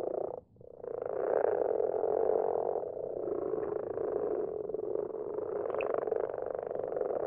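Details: Common frogs in a garden pond at night, numbers growing each year: a thick low grating chorus of overlapping purring croaks, briefly dipping near the start, then steady and rich to the end.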